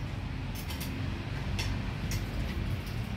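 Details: Steady low rumble like a running engine, with a few faint clicks and hissy bursts on top and no animal voice.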